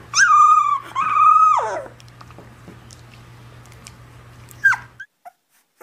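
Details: A puppy crying gives two drawn-out high whines that fall away at the end, then a short yelp a few seconds later after a quiet stretch.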